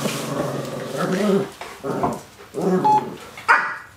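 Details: Puppy playing with a rottweiler indoors: three rough, low barking growls of about a second each, one after another, ending in a sharper yelp, heard in a small room.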